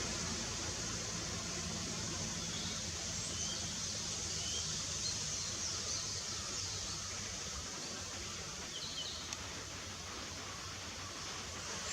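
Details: A steady rushing hiss, like flowing water, with a low rumble underneath and no clear animal calls.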